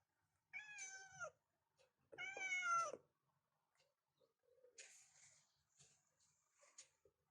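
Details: Cats meowing in a bedroom in the morning to wake their owner: two clear rising-falling meows, the second longer, followed by faint rustling and soft scratchy noises.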